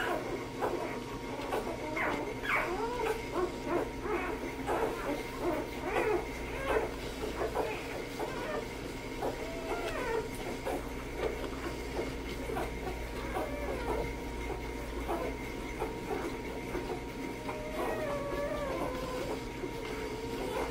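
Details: Hazel's litter of two-day-old AKC chocolate Labrador Retriever puppies, fourteen in all, giving a chorus of overlapping short high squeaks and thin rising whines over a steady electrical hum and background rumble.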